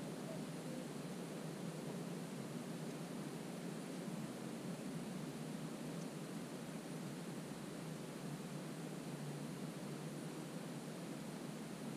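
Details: Only a steady, even hiss with a low rumble underneath, like wind or distant traffic, with no animal calls standing out.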